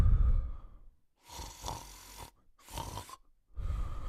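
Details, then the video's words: A sleeping male Cocker Spaniel snores in low, rough bursts separated by short quiet pauses. "The Male Cocker Spaniel Sleeping & Snoring in 39 seconds"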